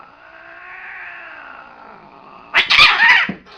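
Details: Angry domestic cat: a long, low, wavering moan held for about two and a half seconds, then a sudden loud harsh screech-and-spit burst near the end.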